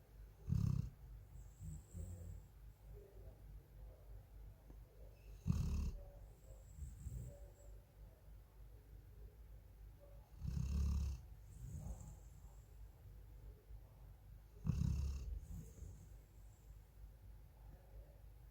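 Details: Deep, rumbling snores from a female Golden Retriever sleeping in Thailand, each short breath-roar repeating roughly every five seconds with quieter breathing in between and a faint high hiss in the room.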